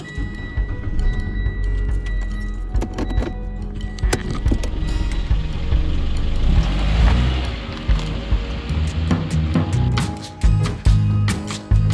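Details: Background music with clattering, rustling handling noises and low rumble, and no animal sound.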